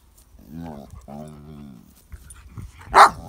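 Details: A pet pug playing with baby pugs gives two drawn-out, wavering, groaning vocalizations, then a single sharp yip.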